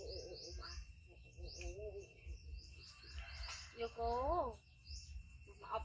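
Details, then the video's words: Pet monkey Yoko gives an extreme, loud cry after his brother Koko, a baby male hybrid monkey, bites him; short wavering harmonic wails, one strong rising-falling cry near the end, with birds twittering behind. "Monkey Koko Bites Brother Yoko Extreme Cry Loud"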